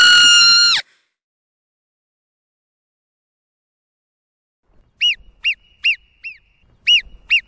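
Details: Marmot calling: a loud, drawn-out squeal that slides downward, then a long silence, then a run of about seven brief, high arched whistles spaced irregularly over the final seconds.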